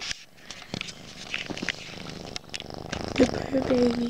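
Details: Kitten purring while repeatedly attacking the camera during late-night recording indoors: a low, steady, grainy rumbling purr running throughout, with a human voice breaking in near the end.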